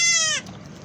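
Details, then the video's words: A newborn goat kid, one of twins, gives a single short, high, nasal bleat that slides slightly downward. "Twins, Twins baby goats , Cutest Noise of newly born baby goats"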